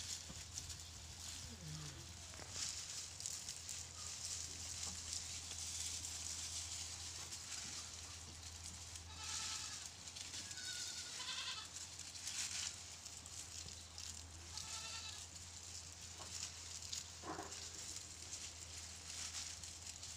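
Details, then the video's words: Pateri goat, a doe with four kids, bleating in short nasal calls at scattered moments, roughly four separate bleats spread across the stretch, over a steady low electrical hum. "PATERI bakri 4 BACHUN,#BAKRI ki awaaz"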